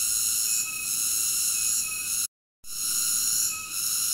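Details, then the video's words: Shrill, unbroken cicada buzzing with banded high overtones, cut by a short silent gap halfway through before the same drone resumes. "Cicada ASMR Sleep Nature Sounds"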